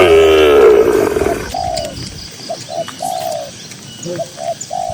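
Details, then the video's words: Grazing cattle in a green rural pasture give a short, low moo that fades within about a second, after which doves coo in short repeated notes while a high bird chirp sounds faintly. "Suara Moo Moo Sapi Lembu yang Lucu di Tengah Ladang Hijau yang Sejuk"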